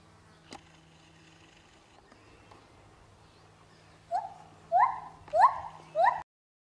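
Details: Lar gibbon at Trotters World of Animals, swinging and singing: four rising whoops, each sweeping upward sharply, spaced about two-thirds of a second apart after a quiet start with faint background hum.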